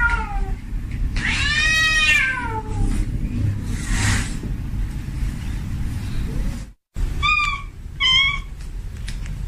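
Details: Domestic tomcat in heat calling for a female, giving a long drawn-out wailing meow that wavers and falls, a hissy burst, then after a brief gap two short sharp mews; steady low hum underneath.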